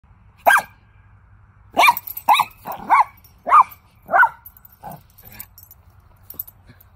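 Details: Monkey, a Toy Fox Terrier, barks playfully outside, full of energy: sharp yappy barks in short bursts, about six loud ones over several seconds with brief gaps, then a few fainter yips, over a low steady hum.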